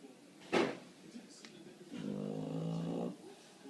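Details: Bulldog asleep indoors, worn out after barking at a bird in the window. A sharp knock comes first, then a single drawn-out nasal snore with a rough, buzzing tone lasts about a second.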